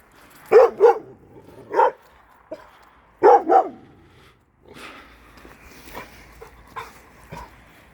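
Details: A Kangal dog from a shelter, which had broken its rope, reacts to an unfamiliar female dog that came into the neighbourhood, likely abandoned. It gives loud, deep barks in quick pairs, five in all, then quieter background noises follow.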